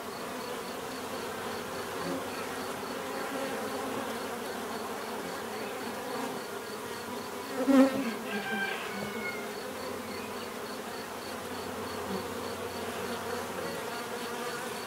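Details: Bees hum in a steady low drone across fifteen seconds, with a single bee passing close at about eight seconds in a short loud buzz, and faint high chirps behind.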